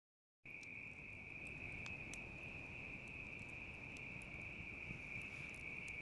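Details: Bell cricket chirring beside a crackling campfire: a steady, shimmering high trill that holds unbroken after a short silent start, with sharp snaps and pops of burning wood scattered throughout.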